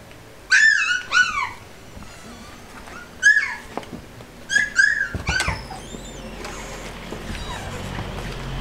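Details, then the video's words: Newborn Border Collie puppies, recorded from their first days: several high, whining squeaks with rich harmonics, arriving in short bursts of two or three with quiet gaps, a few softer whines toward the end. "Border collie puppies from first day to 2 months old"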